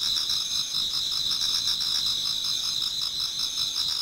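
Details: Many autumn insects in a Japanese garden near dawn: rapid pulsing high-pitched trills stacked in bands, a constant shimmering chorus with faint rhythmic beats underneath.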